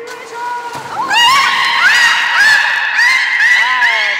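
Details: A beluga at Nagoya Port Aquarium on 23 March 2019, during fish feeding and the play time afterwards, gives a series of squeaky whistles, each rising sharply and then leveling off.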